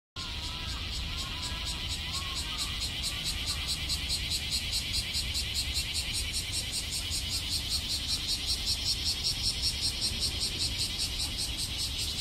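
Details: Cicadas just starting to sing in Nagai Park, Osaka, on a muggy, cloudy-sometimes-sunny day, give a high, hissing drone that pulses steadily, about two or three beats each second.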